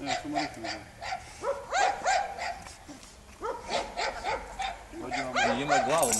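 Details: A Serbian defence dog and a Dogo Argentino together, producing quick runs of arched, yelping barks several per second, with a short pause in the middle before the barking resumes louder.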